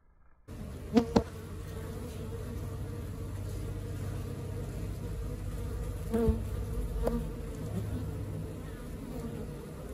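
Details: A honey bee colony at work: a steady low buzzing drone begins abruptly, broken by a few sharp clicks and knocks.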